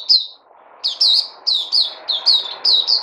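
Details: Puteh, the white-eye, kept and fed a booster supplement, recorded 3 August 2020: spaced, loud, high chirps sliding downward, some doubled, each roughly a third of a second apart over steady low hum.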